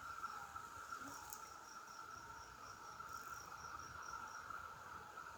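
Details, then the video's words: Cicadas in loud chorus: a steady, unbroken mid-pitched buzzing drone runs throughout, with a fainter high ticking pulse repeating about twice per second above it. No other sounds stand out. "More Sounds of the Cicadas"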